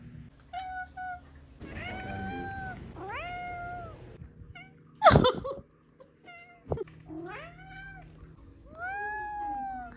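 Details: Atlas, a pet cat of five years, indoors, gives a run of drawn-out meows, several with bending pitch that rises then falls, plus short chirping mews, separated by brief pauses; a sharp knock and a low background hum are also heard.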